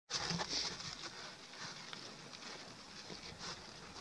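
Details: A huge wild boar snuffles and sniffs in quick, breathy puffs while nosing through dry soil for something to eat, with scratching and rustling of loose earth between the sniffs.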